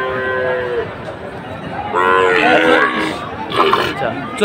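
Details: Sahiwal bull calves traded among farmers from different regions on 5 October; two short, harmonic moos, the first brief and the second louder and wavering, rise above busy crowd chatter and clatter.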